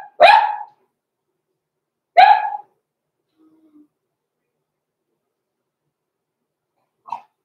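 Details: Six-week-old blenheim Cavalier King Charles Spaniel puppies, Roman and Blue, indoors in a puppy pen; two loud high barks about two seconds apart, a faint low whimper, then a brief soft yip after silence.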